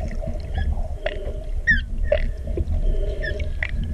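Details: Humpback whale song of short squeaks, chirps and brief tonal moans, with sharp upswept whistles in between, set against a heavy low underwater rumble.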